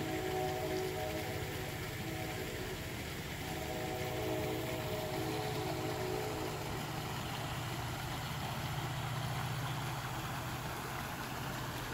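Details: Droning engine idles with steady tonal hum and layered mechanical noise throughout, and no animal voices.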